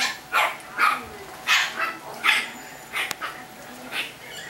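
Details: Chihuahua puppies from a California breeder: about six separate shrill yips, evenly spread across a few seconds, each short and bright with quiet between.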